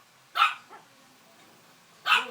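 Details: A one-month-old Shih Tzu puppy "sings," its favourite pastime, giving two short, high, yelping cries separated by a pause.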